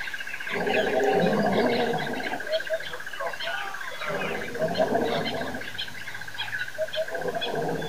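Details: Lions roaring at Nkorho Pan at 6:35am on September 26, 2008: deep, rough roaring bursts swell and fade in long waves, over a steady high insect-like whine and scattered bird chirps.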